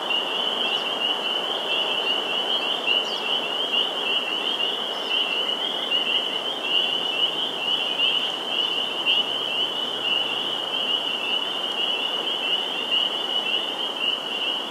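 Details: Vernal pool in Sudbury, Massachusetts, 11 April 2019, filled with a loud spring peeper chorus. Shrill overlapping peeps form a steady high band for the whole stretch, over a soft background hiss.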